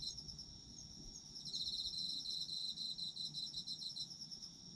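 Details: Autumn insects calling for sleep-time listening: a high, dense shimmering trill of crickets with rapid pulsed chirps overlaid, swelling after the first second and holding steady over a soft low rumble.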